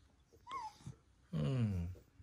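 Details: Female West Highland White Terrier, born April 2019, indoors with a giant dog chew and looking for a place to hide it. A brief high whine, then a longer low droning whimper-groan, with a woman speaking Korean nearby.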